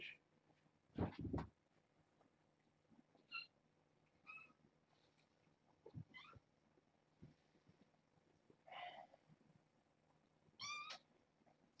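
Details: Kittens from a foster litter of six, born August 29th, meow noisily one morning, insisting on climbing over a fence to escape and explore; short, bright harmonic meows recur every one to two seconds, with soft thumps and quiet room noise.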